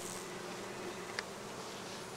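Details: Honey bees foraging on acacia and other plants beside the Sun Motorway between Cernavoda and Medgidia, Romania; a steady low hum of many wings fills the air, with a brief sharp click near the middle.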